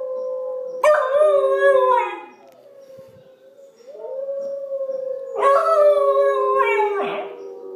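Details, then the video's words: Corgi puppy Zoey, a Pembroke, howling with wolves heard on a computer: two loud bursts of bright, harmonic-rich howling that sweep up then fall away, separated by a softer sustained low howl. "Corgi puppy howls along with wolves"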